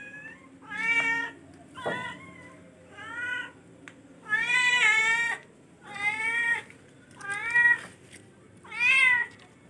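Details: Charcoal F1 cat calling insistently, about seven loud harmonic meows in under ten seconds, some drawn out and wavering, others short and arched, with a sharp tap near the start and a low indoor hum.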